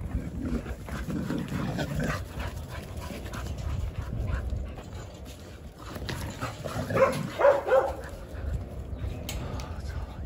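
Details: Jindo dogs in a kennel on a December winter Saturday morning, one dog gnawing at the wire mesh; a man talks over low rumbling and clatter before a short run of three sharp, mid-pitched barks near the end.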